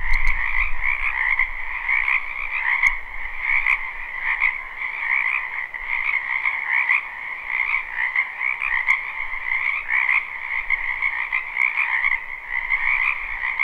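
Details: Spring chorus of many frogs in a wetland behind a home, recorded live: steady layered croaking trills throughout, some brief sharp clicks, and a low rumble at the very start.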